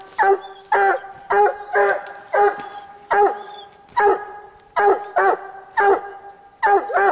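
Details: Walker hound Bandit treeing a raccoon on a cold night hunt, giving steady chopped barks in quick pairs, close to one per second, rich and ringing with clear harmonics and little else heard.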